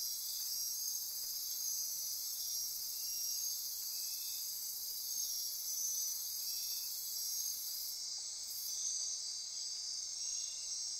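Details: Midnight insect chorus on the Osa Peninsula, Costa Rica, near Corcovado National Park: a steady high-pitched buzz and repeated pulsing trills, with a brief sharper burst near the end above the constant drone.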